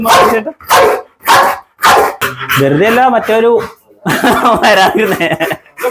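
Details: Pit Bull giving three loud, evenly spaced barks, followed by a man's voice speaking, with more mixed voice and dog sounds at the end.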